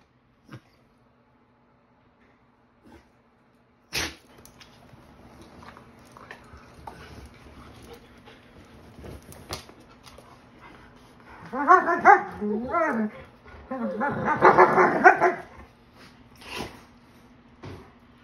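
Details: A 43 lb Belgian Malinois taunting a 110 lb German Shepherd indoors: after scattered knocks and a sharp clack, two bursts of wavering, harmonic whines and yips rise and fall, each lasting one to two seconds, then quiet.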